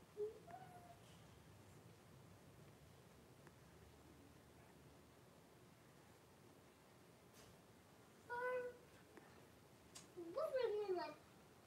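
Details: Blenheim Cavalier King Charles Spaniel puppies, a litter of five born at New Year to Paris and Spike, in an indoor puppy pen with their mother. Two short, high whimpering squeals with wavering pitch come near the end, after a long quiet stretch.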